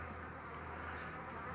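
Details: Honey bees around a frame holding a queen, used to start a new colony; an even, continuous droning hum with a low steady undertone.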